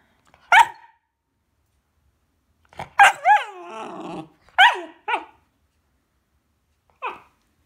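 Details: A 4-month-old Belgian Malinois puppy indoors, after chewing up a sofa, gives five short, sharp barks spaced a second or more apart. A longer, falling whiny yelp follows the second bark, in a quiet small room.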